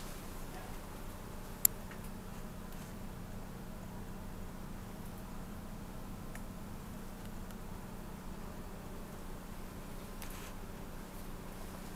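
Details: Quiet indoor room hum with a few faint ticks and clicks, and no animal vocalisation heard.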